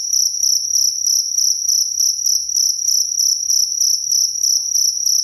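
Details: Cricket heard in a clean recording used to tutor songbirds, chirping in bright, high, buzzy bursts about three per second, evenly spaced and sustained throughout, with faint low clicks under the song.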